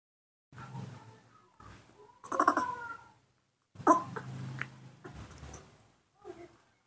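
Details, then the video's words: Newborn monkey asking for milk, being hand-reared before release to its habitat: a few bursts of thin, squealing cries with bright overtones, the loudest near the middle, separated by pauses and mixed with soft rustling handling noise. "makes a unique sound, cute and beautiful, that's how newborn monkeys ask for milk"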